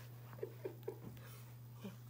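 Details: A seven-week-old Miniature Schnauzer puppy plays with her sister and starts to vocalize. She gives three quick, squeaky little yips in a row, then one softer peep, in a quiet room with a steady low hum.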